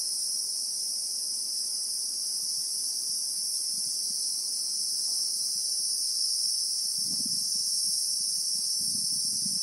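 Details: Christmas beetle (Anoplognathus) in South African bushveld with acacia trees, recorded in real time: an unbroken, shrill, high buzzing drone holds steady throughout, with soft low rumbles and thumps near the end.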